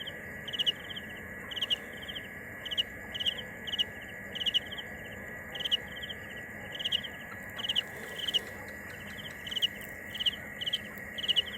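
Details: A cricket chirps steadily, each burst a quick cluster of bright pulses spaced about a second apart, over an unbroken high-pitched drone and low hiss.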